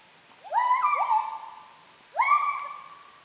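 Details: Kelempiau, the Müller's gibbon, heard while walking Borneo rainforest in Kapuas Hulu; two bouts of upward-sweeping hoots that hold a level tone then fade, clear and loud against quiet background.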